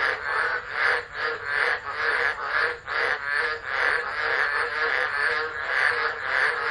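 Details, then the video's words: Chorus of frogs singing in a tropical storm at Driver, Northern Territory, Australia, 13 Dec 2013, captured on a phone camera: harsh, pulsing croaks repeated rapidly in a throbbing, uneven rhythm, constant rain hiss behind. "Tropical Storm Frogs Singing"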